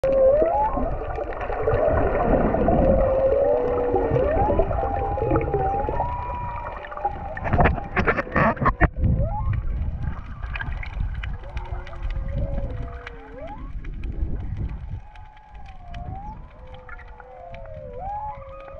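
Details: Whales recorded underwater while freediving off Hawaii: long tonal moans and whistles sliding up and down, overlapping, with a low rumbling water background and a brief broadband burst near the middle.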